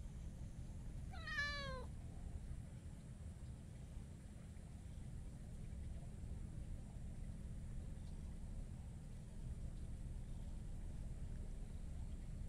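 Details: Talkative tuxedo (hachiware) stray cat rubbing against a person outdoors; one falling, wavering meow lasting about a second near the start, then steady low rumbling background noise with no further calls.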